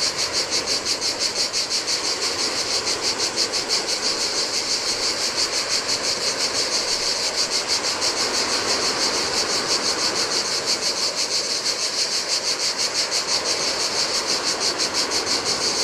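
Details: Cicadas singing in hot weather on a desolate Adriatic beach of a Greek island, their piercing buzz swelling and fading in rapid regular beats, about three per second, while waves wash continuously over the sand.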